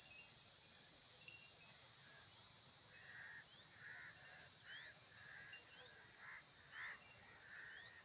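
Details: Continuous high, hissing insect trill runs without pause, while fainter mid-pitched blurry notes recur about every half second in the second half and a few quick upward slides appear.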